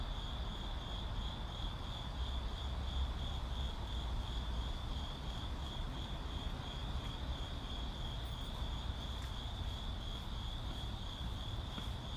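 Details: Crickets calling as ambience in a city: a steady, shimmering high trill held throughout, with a faint pulsing, over constant low traffic rumble and distant vehicle noise.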